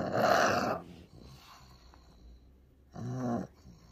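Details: A pug called Ku-chan, sick and suffering a strong seizure, lets out one loud, rough snorting groan, then snore-like breathing, followed by a shorter, more voiced moan.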